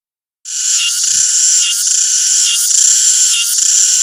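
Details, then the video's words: Cicada song beginning after a brief silence: a loud, dense, high-pitched buzzing drone that holds steady, swelling in short pulses roughly every 0.9 seconds. "CICADA SOUND EFFECT 매미 울음소리"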